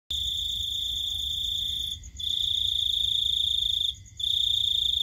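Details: Cricket at night, giving a continuous high, shrill trill that runs nearly two seconds at a time, broken by two brief pauses; steady and even in pitch, with a faint low background hum.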